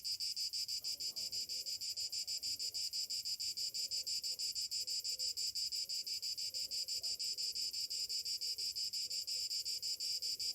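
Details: Cicadas singing on a summer morning: a loud, high, buzzy drone, finely pulsed and throbbing steadily without a break from start to finish.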